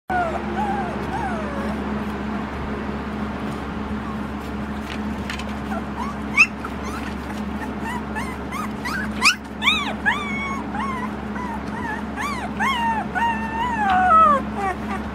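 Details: Several Samoyed puppies from a litter of a female named Summer, just before feeding time, crawling over each other. Overlapping high whiny whimpers rise and fall in arched slides, growing denser and louder toward the end, over a steady low electrical hum.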